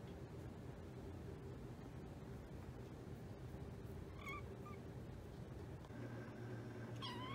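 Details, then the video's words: A kitten's small mews: two faint, very short squeaks near the middle, then a louder meow that rises at the end, over a low steady hum. "kitten's precious noises"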